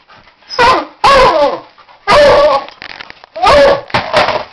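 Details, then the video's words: A Beagle mix barking at a toy car gives loud, harsh barks in quick bursts, some doubled, spaced about a second apart. "loud dog barking at toy car"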